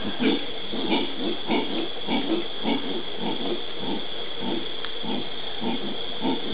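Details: Howler monkeys (Alouatta) in the Brazilian Pantanal, 13 January 2011, give deep, guttural grunting roars in a steady rhythm, nearly two a second.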